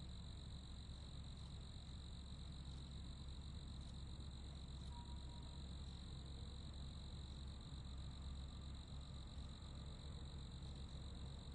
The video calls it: Royalty Free Sounds (Crickets)